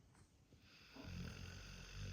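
A sleeping Pit Bull snores, a low, rumbling rasp that swells after a quiet start.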